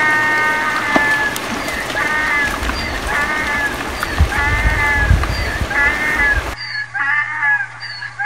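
A donkey brays in a repeated, rasping hee-haw over steady background noise.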